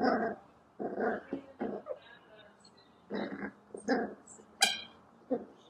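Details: Herky, a female Cavalier King Charles Spaniel puppy, on her first day home in 2014: short rough barking and growling bursts come in uneven clusters, with a brief high yelp near the end and faint voices in the background.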